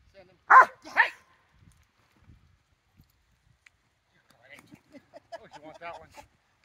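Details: Rottweiler at a September 4, 2022 training session: two loud, sharp barks close together, then a quiet pause, followed by soft, rapid whimpering and whining notes trailing off.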